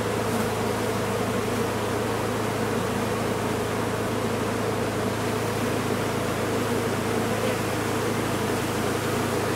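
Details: Large honey bee colony being recovered from a sealed-off, disused chimney; a dense, unbroken buzzing hum with a steady low drone beneath it, holding even loudness throughout.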